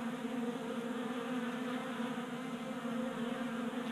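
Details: Numerous honey bees at a 3D-printed table-top feeder in a Colorado garage, active in January warmth. A steady, even buzzing hum of many bees, low-pitched with layered overtones and no pauses.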